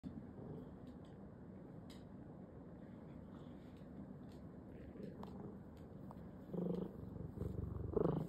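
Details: Siamese cat purring, a soft continuous low rumble throughout with faint clicks and rustles, growing louder toward the end.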